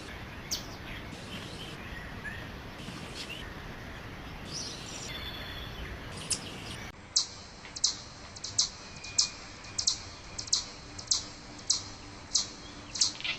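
A chipmunk gives a steady series of sharp, high chips, about one every half-second.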